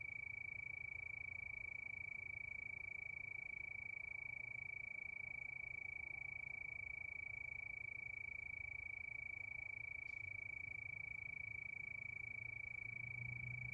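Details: A night chorus of crickets under the moon, holding one continuous shrill tone that pulses rhythmically without pause, set against a quiet low drone and one faint tick.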